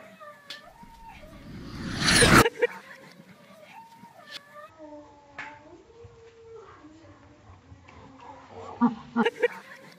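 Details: A French Bulldog, often left home alone while its owner works, greets the owner on their return with wavering, drawn-out whines and yodel-like moans.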